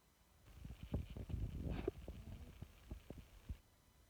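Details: A sleeping kitten snoring softly: low, rapid throbbing breaths with a denser rumble in the middle, fading to faint quiet pulses at the end.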